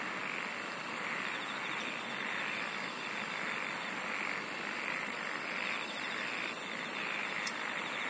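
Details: A steady wall of insect song: high continuous whines layered over a gently pulsing murmur, joined in the second half by a fast, even ticking train, then a single sharp click.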